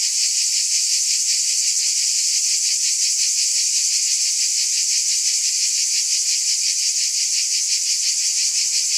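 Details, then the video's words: Cicadas buzzing in a dense, continuous high-pitched drone that never breaks, steady and loud throughout, with a faint rapid pulsing running through the whole sound and no other noises. "Scintillating Cicadas"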